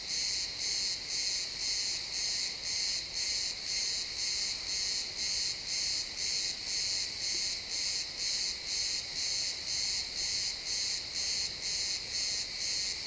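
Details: ['Crickets chirping in a pine forest at sunset, XY stereo real-time recording: steady high pulsed chirps about two per second, regular and unbroken throughout, with no other clear sounds.']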